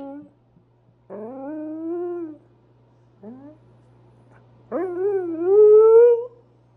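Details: Husky indoors early in the morning, asked to keep the volume down, trying to communicate, usually about food; soft rising woo-woo vocalizations in four bursts, the last one longer and louder, climbing and wavering in pitch.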